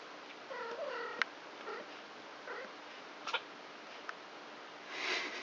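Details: Three-week-old kittens, a litter of four from the cat Krampus, playing together indoors at night; a wavering harmonic mew followed by two shorter faint mews, with clicks and scuffles of play throughout.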